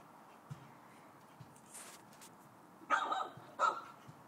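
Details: Chow Chow barking at the dog next door: after a quiet stretch with faint background ticks, two sharp, harsh barks come about 0.7 seconds apart near the end.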